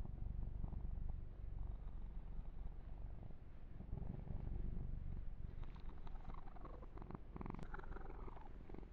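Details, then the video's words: Yumak, a male kitten, purrs under massage in an ASMR ear-to-ear recording; a steady low rumble runs throughout while louder fur-grooming and rubbing noises build in the last few seconds. "Kitten Massage - Perfect Sleep Helper Ear to Ear Purring"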